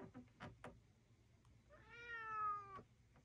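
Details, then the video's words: Chatty rescued male cat out visiting the docks; a few short clicks and chirps, then one long, clear, slightly rising then level meow of about a second, over a steady low background hum. "Chatty Cat visits the docks"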